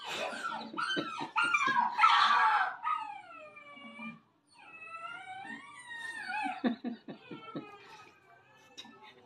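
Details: Indoor Samoyed reacting to a crying pup, giving long quavering whines that rise and fall, mixed with short sharp yips and clicking bursts near the start and end, a brief silent gap midway.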